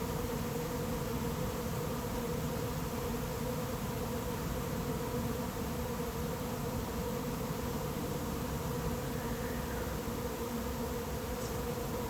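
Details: Swarming honey bees arriving late in the season at an empty hive not yet prepared for them; a thick, continuous buzzing drone at a steady pitch for twelve seconds, even in loudness throughout.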